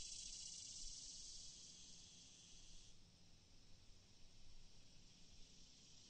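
A cicada's loud, high, steady buzzing drone that fades to a softer hiss partway through.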